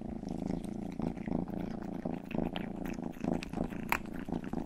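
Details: Youngest cat Rangi purring loudly while grooming a listener's ear in an indoor ASMR recording; a strong, evenly pulsed rumble with moist licking clicks scattered over it.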